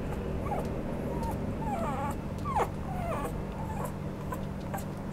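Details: A female Maltese-Chihuahua mix dog gives soft, high, wavering whimpers over a low steady hum: Maltese-Chihuahua mix dog (Canis lupus familiaris), whimper.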